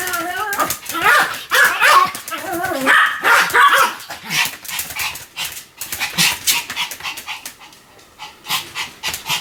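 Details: Continuous barking from Sam, a Pomeranian: loud, wavering, whiny yaps clustered in the first few seconds, followed by scattered sharp barks that thin out and grow quieter toward the end.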